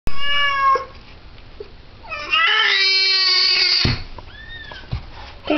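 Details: A female calico house cat meows while giving birth to her second kitten of three: a short clear meow, then a long, loud, strained yowl held over a second, then a softer rising-falling mew, with a voice briefly heard.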